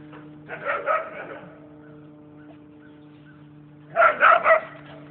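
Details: Whippets Nessie and Winston playing tag and tearing around the yard; a burst of two or three short harmonic barks, then quiet, then a second quick run of three barks, with a steady electrical hum underneath.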